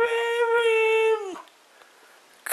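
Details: Mishka, a Siberian Husky known for 'talking', indoors in a small room: one steady, tonal howl-like note of about 1.2 seconds that drops off sharply at the end, then quiet, with a brief clatter right at the finish.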